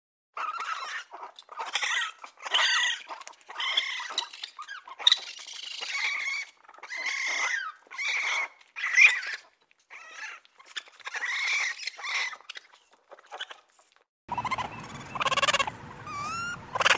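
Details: Raccoons communicating with each other and with a person: a run of short, chirpy, squeaky bursts with harmonic whistles and quick chittering, spaced irregularly, ending in a few higher rising whine-like squeals over a faint low background hum.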